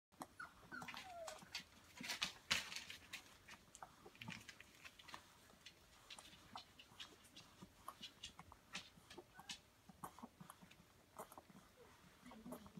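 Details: Samoyed mother with her puppies, five and a half weeks old, in a whelping box in Prince Edward Island, Canada, in January while she nurses them; soft clicking suckling noises with scattered faint high puppy squeaks and whines.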